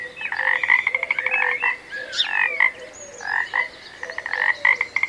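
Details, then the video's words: Frog calling: fast rattling pulsed croaks in runs about a second long, interrupted by short chirps and a rising squeak, with a low steady tone from another caller underneath. "Magical Frog Sounds"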